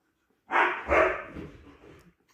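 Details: Husky puppy from a litter of Siberian Huskies barking twice in quick succession, two rough, noisy yaps half a second apart, the second trailing off into a softer grumble; nothing else audible.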